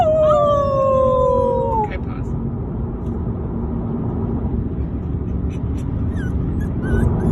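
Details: Pet dog lets out a clear, drawn-out howling whine that slides gently downward for nearly two seconds, followed by steady background noise and faint scattered sounds.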